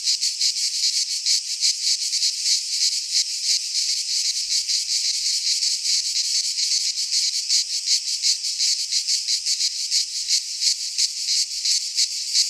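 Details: Cicadas singing in midsummer in a Greek pine forest: a dense, continuous high buzzing chorus, shrill and grating, pulsing rapidly about three times per second without pause; no other sounds stand out.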